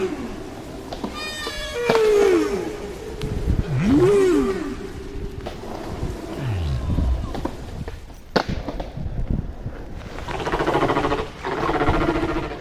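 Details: Later humpback whale song from an area where the shared song is constantly revised: sliding moans and arched whoops, then a sharp click and a broad, noisy grating burst toward the end.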